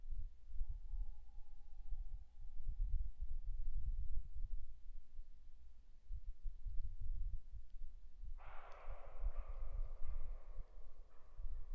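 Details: A fox gives a harsh, rasping call late in the recording over low outdoor rumble, with footsteps, at 21:39 on 10 February 2015 on a red deer camera.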